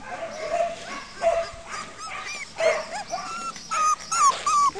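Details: Four- and five-week-old puppies of Copy and Peach giving clear, separate whines: short high notes, some bending down or wavering, repeated at irregular intervals over a quiet background.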